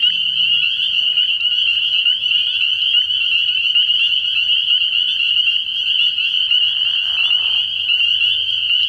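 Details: Early-spring frog pond at night, packed with spring peepers whose high, piercing peeps blend into a constant ringing drone, interrupted only by a brief faint rustling sound.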